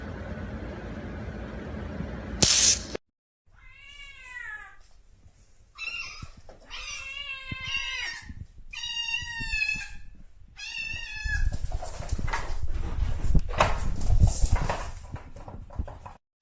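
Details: Pet cat meowing indoors: a run of drawn-out, wavering meows, some bending up then down in pitch, comes in quick succession in the middle, then gives way to rustling and handling noise.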